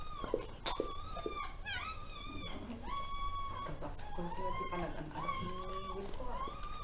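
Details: Newborn puppies during their mother Zoe's delivery of a litter of ten, six female and four male, indoors: high, thin, wavering whines and squeals, some rising and falling, with a person talking in Tagalog at the start.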